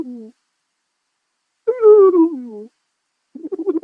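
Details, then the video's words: Porcupine calling in plaintive nasal whines. The tail of one moan is followed by a louder wavering cry of about one second that slides gently downward, then a rougher, stuttering onset of another call. "the PORCUPINE SOUND"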